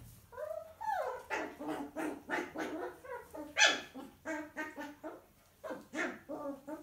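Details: Six-week-old miniature poodle puppy disciplined by his mother: rapid run of harmonic, whiny yaps and growly barks, roughly three to four per second, with one sharper high yelp midway and a brief pause before the final barks.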